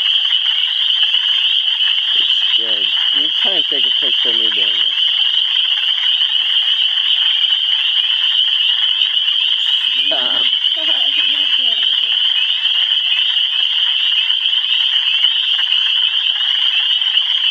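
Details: Frogs in Michigan calling as a dense, continuous high trilling chorus throughout, with a person's voice speaking briefly near the start and again around the middle.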